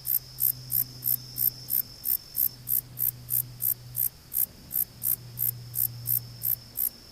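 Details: Calling Conocephalus gladiatus, rapid regular high-pitched chirping pulses roughly four per second, each a brief bright rasp, over a low background hum.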